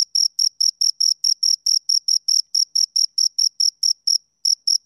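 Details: Two crickets chirping close up: a clean high-pitched pulse repeated about every half second, steady and rhythmic, with a brief gap near the end; no other sounds.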